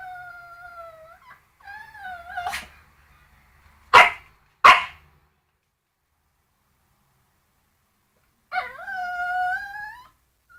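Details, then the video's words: Pet dog barking at a bone: long whining, howl-like tones that bend up and down, two sharp explosive barks in quick succession midway, then silence and one more drawn-out wavering whine near the end. "Моя неадекватная собака лает на кость"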